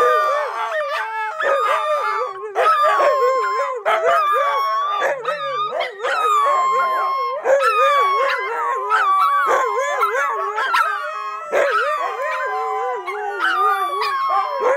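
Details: AKC Siberian huskies, a pack singing together indoors; several overlapping wavering howls, rising and falling in pitch, with yips breaking in and short gaps between bursts.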